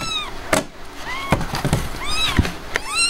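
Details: Shortly after Blanca, a Himalayan cat, gave birth, with her kittens nearby: three or four high arched meows spaced about a second apart, broken up by loud thumps and handling knocks.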